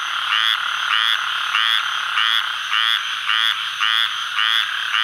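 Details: A calling male squirrel treefrog in the Atchafalaya Basin of south-central Louisiana on July 11, 2013 gives raspy, duck-like quacks, close to two each second.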